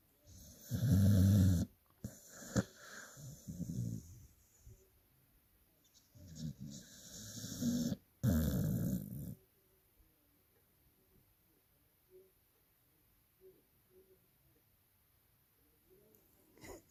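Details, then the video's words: Sleeping dog giving loud snores: deep rumbling low snorts in bursts around one, three and eight seconds, then quieter breathing with faint soft clicks. "Dogs loudest snore"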